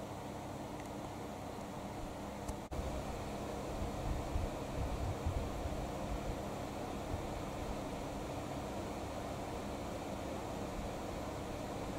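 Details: Steady indoor hum like a fan or air conditioner with one brief click early on; no animal voice is heard.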